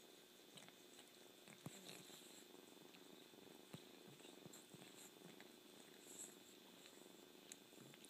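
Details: A kitten keeps up a soft rhythmic purr, punctuated by several sharp clicks and wet slurping noises.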